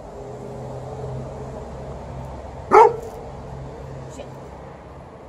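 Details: Female Alaskan Malamute named Liza playing on her own beside an elderly Golden Retriever at fetch; one short, loud bark stands out against a steady low hum and quiet surroundings.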